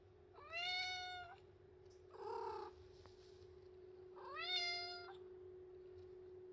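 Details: White cat rubbing its body against a post and meowing for attention and affection: two long, clear, harmonic-rich meows about a second each, separated by a softer muffled call, with a steady low hum underneath.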